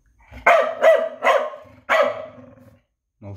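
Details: Dog named Noodles barking indoors: four sharp, harmonic barks in quick succession, the last one drawn out with a trailing tail, followed by a brief start of a further bark.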